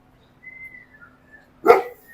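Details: A dog at a resort adventure park in Lonavala, India, gives a single loud, rough bark after a few faint, thin whistling whines.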